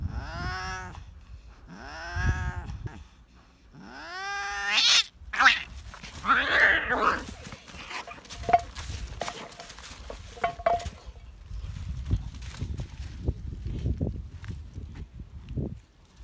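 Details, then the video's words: Fighting cats give three drawn-out, rising then falling yowls about two seconds apart. Sharp hissing spits and scuffling follow, then quieter rustling and faint cries. "fierce fight of cats"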